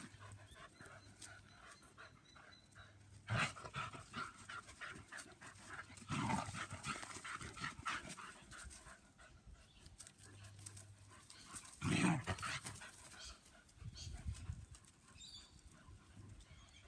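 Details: German Pinscher females having fun playing in a yard outdoors. Steady soft panting runs throughout, with a few louder, short breathy bursts near six and twelve seconds over faint rustling and scuffling.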